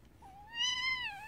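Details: Kitten calling while nursing, a single drawn-out meow held level around one pitch with rich overtones, swelling in the middle and tapering off, in a quiet indoor setting.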